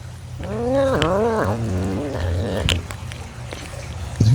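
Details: Serval groaning while being fed: a wavering moan that rises and falls several times, followed by softer grunts and a brief sharp noise at the end.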